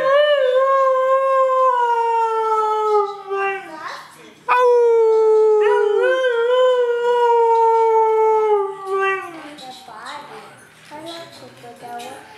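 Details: A female Siberian Husky gives long, tuneful howls that slide slowly downward, sung on command.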